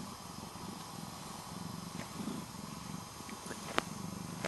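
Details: Lola, a pet tabby cat, purring softly: a steady low rumble with a rhythmic, pulsing texture throughout, a few faint clicks, and one sharp tap near the end.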